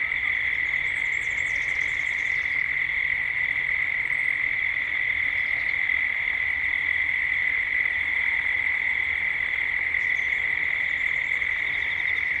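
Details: Cicadas droning at dusk in Gippsland, Australia, in a 3D ambient recording: a constant high-pitched whine without pause, while a bird gives thin, high twittering from about one to two and a half seconds and again near the end.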